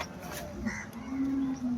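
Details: At the Loni cow market on 12 August 2026, a cow gives a low steady moo held for about half a second near the end, over a background of voices and market bustle.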